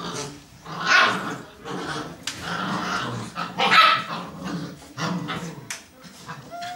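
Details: Nine-week-old Barbet puppies playing noisily in a dining room on their last night together, a normal noise level for them: sharp repeated barks and yaps mixed with low growling, irregular bursts, a woman's voice faintly in the background.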